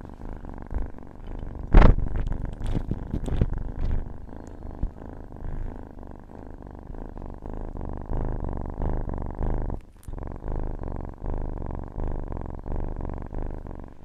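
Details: Domestic cat purring in a steady, low rumbling drone with a faint rhythmic pulse, a brief sharp knock near the second second, otherwise continuous and calm.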